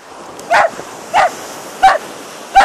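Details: Whippets running on Yarmouth beach with a Bedlington-whippet cross: four short, sharp barks spaced roughly two-thirds of a second apart, each bright and mid-pitched, over a steady background hiss of surf.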